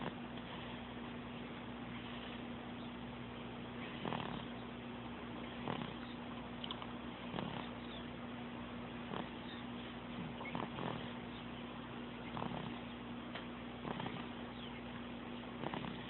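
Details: Pet cat snoring and purring, recorded in June 2012 on an Android phone: soft, breathy rhythmic pulses recur roughly every one and a half seconds over a steady low hum and muffled background.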